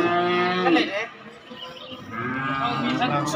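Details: Young cattle, calves and bulls, kept for sale in Indonesia. A harmonic moo fills the first second and fades under a noisy, murmuring background, then another lower, rougher moo rises toward the end.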